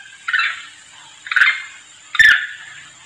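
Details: Monkey calling its companions in a lure sound: three hoarse, breathy barking calls, each starting abruptly and fading, spaced roughly one second apart.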